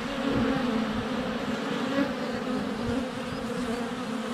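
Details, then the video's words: Honey bees crowding the air at the hive entrance during a sunny spell in February, captured on a GoPro less than a foot from the hive; steady loud humming drone with passing bees swelling and fading. "4K Honey Bees - ambient video and audio"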